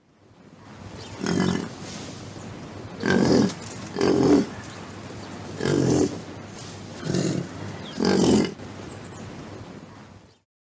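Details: Wisent (European bison) grunting: six low, rough, breathy grunts, each about half a second long, spaced one to two seconds apart over a steady background hiss.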